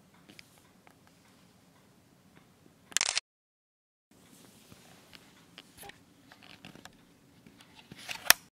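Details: Quiet indoor room with soft rustling, clicks and a brief loud handling burst near three seconds, then a short silence.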